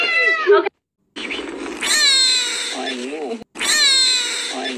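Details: Stray street cat meowing loudly and plaintively, a long drawn, wavering cry followed by another repeated meow, with short gaps of silence between them.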